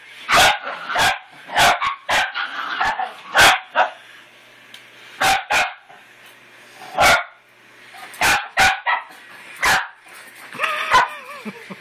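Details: Scuttle, a male pet dog, attacks his new toy puppy with loud, sharp barks spaced unevenly about every second or two, broken by quieter gaps, ending in a higher whiny yelp.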